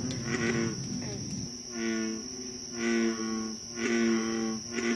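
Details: American bullfrogs at night in a Concord, Massachusetts swamp, 28 July 2013, trading deep rubbery croaks spaced about a second apart, a louder nearby frog answering a fainter one, against a persistent high insect hum.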